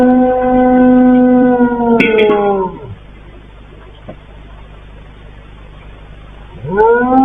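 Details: Domestic dog howling repeatedly at night shortly before the calamity in Turkey: a long, steady, harmonic-rich howl that bends downward and breaks off near three seconds, then a quiet gap before a new rising howl begins.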